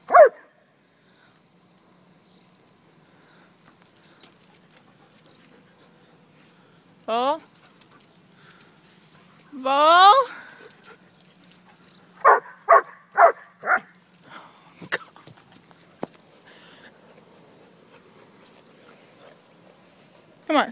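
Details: Four-year-old German Shepherd playing with a ball on a porch gives loud single barks and a few grouped short barks, spaced irregularly over twenty seconds, while a woman repeatedly tells it to drop the ball.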